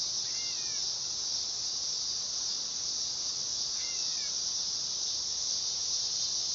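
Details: Dog-day cicada song: a steady, loud, high buzzing drone that holds without a break, with two faint short bird chirps near the start and around the four-second mark.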